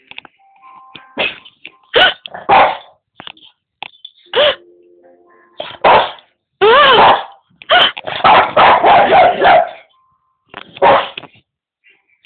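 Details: Boston Terrier indoors barking at other animals on television: rapid, irregular sharp barks and yaps in clusters, with television sound and faint voices between bursts.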